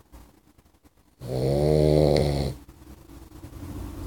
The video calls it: Puppy Boxer Snores. Sound!!!!